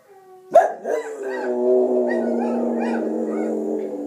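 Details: Soft Coated Wheaten Terrier, four years old, joins wolf sounds with a sharp yelp that opens into one sustained, steady howl held to the end.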